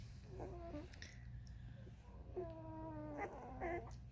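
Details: Thirteen-day-old Vizsla puppies whining indoors: three drawn-out, slightly wavering nasal whines separated by quiet pauses, over a low steady room hum.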